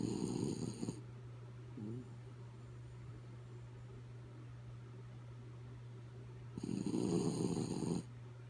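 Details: Asleep, the dog Kaya Boo snores in rough, buzzing breaths: a short snore at the start, a soft snuffle, a long lull, then a louder snore lasting over a second, with a low hum behind.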